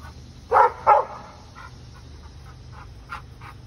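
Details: Dog going after a squirrel lets out two loud, harsh barks about half a second apart, followed by several faint, short yips spaced irregularly over a steady low hum.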